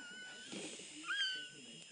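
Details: Newborn Chihuahua puppy squealing during the home birth of three pups to the mother Sweet Pea: a thin, high, steady whine, then a sharper rising squeak midway that fades off, over a faint hum of the room.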